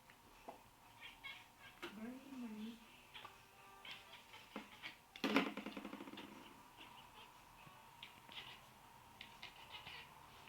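A Nebelung cat chatters while hunting a fly, making odd wavering chirps and a quick stuttering burst.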